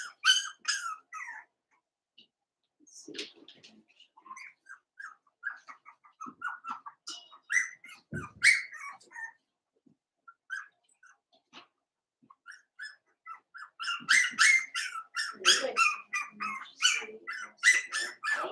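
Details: Four-week-old Cavalier King Charles Spaniel puppies of Daisy's litter in their pen, squeaking in rapid high-pitched chirps, scattered at first and then a dense run of repeated squeals toward the end, with a few soft bumps.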